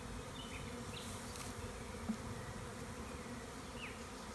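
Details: Spring swarm of honey bees taken from a tree by a beekeeper, Tuscan Maremma countryside, Italy: unbroken low droning buzz, one sharp click near two seconds, and faint bird chirps.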